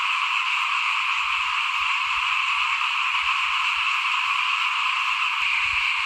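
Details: Frogs of the small paddy kind chorus by a house at rice broadcasting time in 2021, a constant high trilling wall of calls with soft low thumps underneath.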